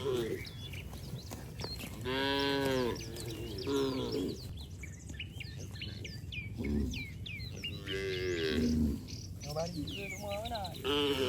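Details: Cattle running and leaping playfully through mud, outdoors: several drawn-out, harmonic moos, some rising and falling, between two and nine seconds, with many small bird chirps scattered above.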